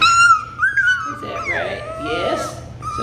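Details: A Labradoodle puppy from the Kiwi litter gives a loud, long, wavering high whine that slides downward, then a second whine at the end, while a person asks about late-afternoon food.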